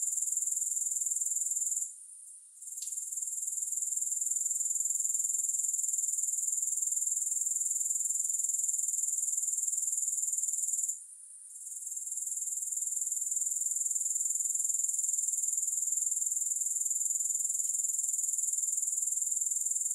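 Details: Continuous high-pitched grasshopper chirring with an even pulse of roughly four beats a second, broken by two short pauses before carrying on, no music.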